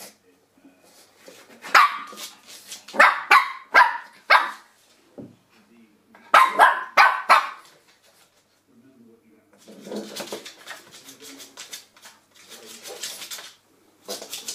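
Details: Shih Tzu puppy barking while attacking a door stop: quick clusters of shrill yaps, four or five at a time with pauses between, followed by rustling, scraping noises and a person's voice.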